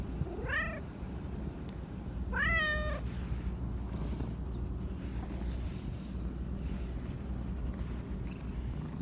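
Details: Two bright, rising meows from a talkative black Persian cat, one near the start and another about two seconds later, each curving upward then levelling off, with constant low-pitched background rumble and no other animals.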